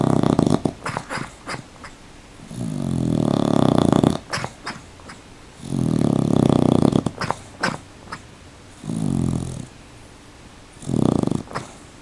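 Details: Rocket, a dog wearing a sweater, snores while asleep with eyes partly open: four long, low, rasping breaths roughly every three seconds, separated by quiet gaps with sharp clicking sounds in between, indoors.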